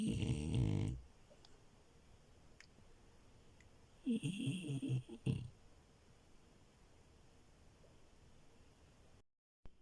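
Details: Milo, a female French Bulldog, snoring while asleep on a bed: a loud low rasping snore in the first second, then a second, longer rumbling snore about three seconds later, with quiet room hush between.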